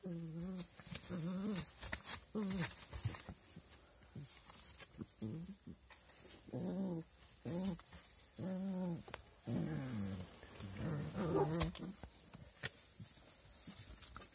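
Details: Puppy voices in uneven clusters of nasal, wavering yelps and whines, some sliding downward, separated by short pauses, with a few faint clicks and rustles between the calls.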